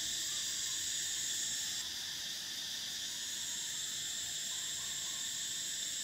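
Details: Cicadas singing in summer: a loud, even, high-pitched drone whose top tone cuts off abruptly after two seconds while the lower buzzing chorus carries on unchanged.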